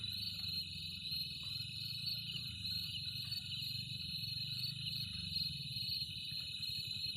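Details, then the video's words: Cricket calling with a steady, unbroken high-pitched trill that holds one pitch throughout, with a faint higher overtone above it and a low continuous rumble underneath. "Cricket 🦗 shorts//original /sound"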